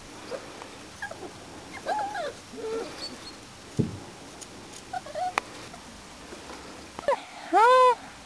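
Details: Springer Spaniel puppies of the Y-litter, four and a half weeks old, outside for the first time; scattered thin, wavering whimpers, then a louder rising-falling yelp near the end.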